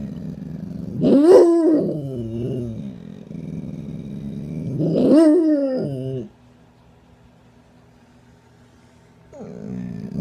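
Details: Pet dog that rarely barks, making other exclamations: two drawn-out, harmonic, moaning whines, each rising then falling over about a second, with a third starting near the end, quiet between them.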